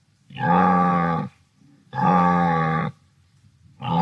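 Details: Wildebeest vocalizing with drawn-out, droning moan-grunts of about a second each, separated by short pauses, deep and buzzy with strong harmonics, no other sounds clear.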